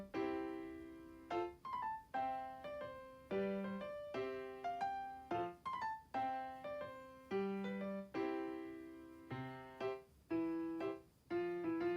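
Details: Gentle piano music plays a slow melody of separate struck notes, each fading before the next, over a quiet background.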